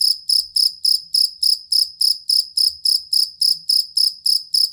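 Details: Steady, ringing cricket chirps, jangkrik kalung or fighting cricket, used to teach songbirds: bright, high pulses roughly three to four per second, evenly spaced and unbroken, with little other sound beyond a soft low hum.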